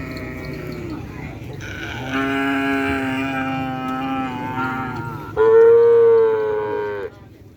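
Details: Cattle gathered for group training on a track: two loud, rich moos, the first held about three seconds, the second shorter, higher and stronger, over quiet crowd murmur.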